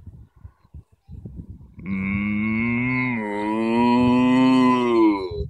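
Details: Cattle on an Irish field, one deep, sustained moo lasting nearly four seconds, steady and slightly rising toward the end, after a few brief low thumps.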